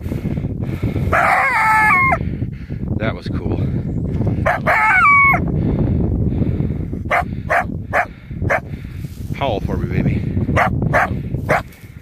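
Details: Coyote caught in a cable restraint in 2015, approached on foot; two bursts of wavering, harmonic yelping howls that fall in pitch, with a man talking, rustling and thudding handling noises throughout.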